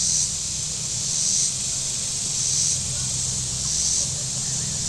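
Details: Very warm Saturday at Table Rock Lake, southern Missouri: shoreline cicadas give a sizzling high drone that swells about every 1.3 seconds, above a steady low rumble of passing boats.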